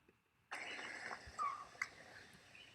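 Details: A single short, clear whistled note from a Merriam's chipmunk, recorded during the day in April near the Mount Baden-Powell trailhead in Southern California mountains, sliding slightly downward over a steady hiss; a brief higher chirp follows. Often confused with northern pygmy owl.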